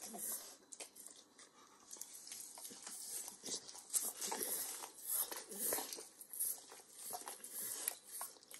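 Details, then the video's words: Max, an indoor Pit Bull aged nine, licking and chewing overcooked bacon in a kitchen, sounding like a long run of wet slurps, lip smacks and crunchy nibbles, dense and uneven, recorded close with a quiet room behind. "Max Licks & Nibbles Bacon | Dog Licking Sounds"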